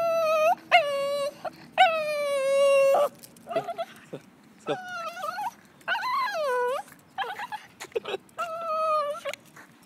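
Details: Lhasa Apso bitch on a walk, agitated at the sight of a squirrel: long, steady, high-pitched whines alternate with shorter wobbling, dipping cries and quick yelps, repeated almost without rest.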